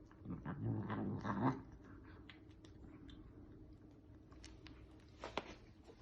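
A Bengal cat gives a low, rumbling, growly call lasting about a second and a half.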